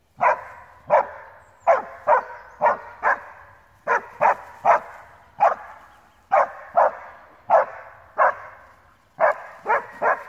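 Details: An Alpine Dachsbracke bays at wild boar on its first meeting with them, having barked for some thirty minutes; sharp barks, often paired, come steadily about twice a second with a faint echoing tail.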